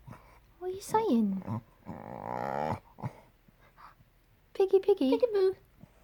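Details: A male cocker spaniel makes odd, Grudge-like vocal noises: a falling whine, a long croaky groan, then wavering yodel-like moans, followed by a big yawn.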